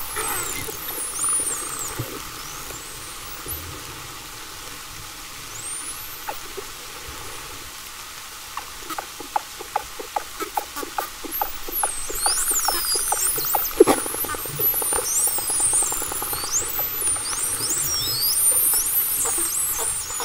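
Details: Common bottlenose dolphins give high, frequency-modulated whistles (about 5–20 kHz) that rise and fall, with bursts of brief broadband clicks and short low-frequency barks around 1 kHz.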